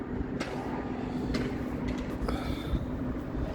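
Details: Steady low rumble of a passing train or heavy vehicle, with faint tonal squeals and occasional clicks and no animal voice.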